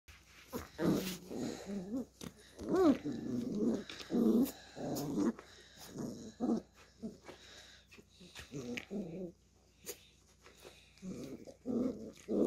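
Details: Beagle puppy playing with a hand indoors, giving a series of short, rough growls and yips in bursts over twelve seconds, some rising into higher whiny notes, with brief pauses between bouts.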